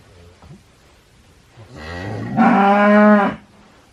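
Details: A cow gives a low, rumbling lead-in that swells into one loud, steady moo of about a second, then stops. Faint background noise is heard before the call.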